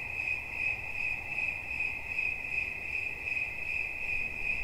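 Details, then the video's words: High-pitched cricket trill repeating in quick, even pulses of roughly two and a half per second, with quiet low-frequency rumble behind it. "Świerszcz. Dźwięki relaksacyjne"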